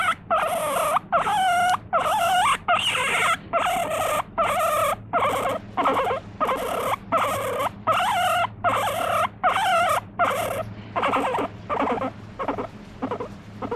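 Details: Pet guinea pig crying out and squirming, demanding to be petted. Loud, harmonic squeals that rise and fall, repeated in quick bursts about once each second for roughly fifteen calls, with short silent gaps between them.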